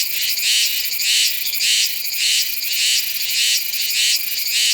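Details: Song of a Meimuna iwasakii cicada, Nanzhuang, Taiwan, in September, captured with a Sony A7s3 and shotgun mic: continuous shrill, rasping buzz rising into regular throbbing swells roughly every half second.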